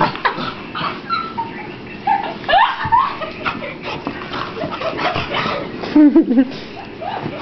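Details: Precious, a female beagle indoors after a rainy walk, being dried off with a towel; short rising whimpering yelps and brief tonal cries, with people talking over and around her.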